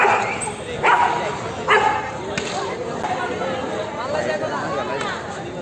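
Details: Dogs in a fight give loud, sharp, harsh barks in quick bursts about a second apart, fading into lower muffled dog noises, with people talking in the background.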